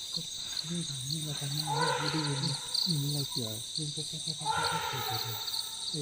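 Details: Wild Asian elephants in Kanchanaburi jungle, Thailand, around midnight to 3 am give deep, harmonic rumbling roars while fighting. More than ten animals from rival herds clash, possibly defending calves, over a steady high insect drone, heard from a tree.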